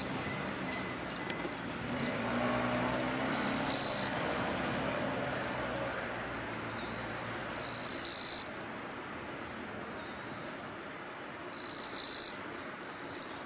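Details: Harsh, shrill buzzes from a male Eastern-Japanese katydid (Gampsocleis mikado), made by scraping its forewings, come in short bursts about four seconds apart: a courtship song meant to draw a female, sung on a daylily bud in tall grass beside a railway, sunny late morning, late July 2022. Steady background hiss.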